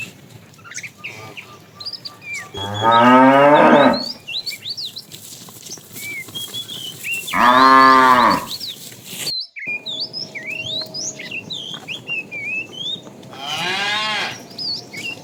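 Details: Herded tame cows in the afternoon, a fat cow calling the female; three drawn-out bellowing moos spaced roughly five seconds apart, the last one more distant, with steady bird chirps in the background.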